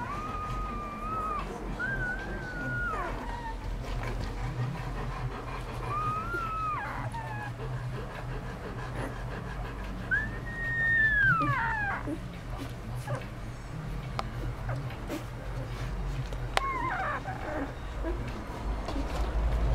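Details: A mother dog grooming her ten four-day-old puppies on Mother's Day. High whimpering squeals rise and fall in arcs, about four spread across twenty seconds, over a steady low hum.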